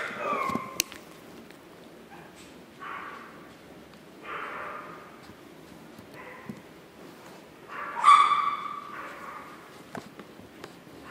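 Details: Chihuahua puppies at Chihuahua World, recorded 9 April 2016, giving soft scattered whimpers and short yips at intervals. A louder, sharper squeal rises near the end over a quiet indoor background.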